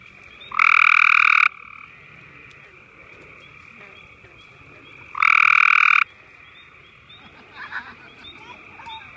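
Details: Gray tree frog calling to others in the area at Marshy Point, May 10, 2014: two loud, rapidly pulsed trills about four seconds apart, each near a second long, with a softer trill continuing between them and faint chirps near the end.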